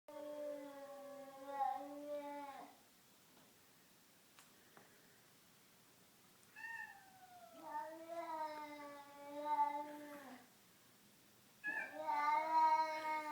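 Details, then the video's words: Two cats, one black and white, making horrible drawn-out yowls indoors while not fighting; long harmonic wails of two to three seconds each, some steady and some rising then falling, separated by quiet gaps. "Cats making horrible noises"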